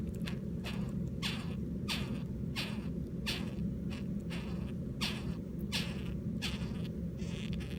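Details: Captive Japanese rhinoceros beetles mating on 24 July 2016, one trembling; short rasping buzzy pulses repeat about every 0.7 seconds, each a quick falling burst, over a constant low hum.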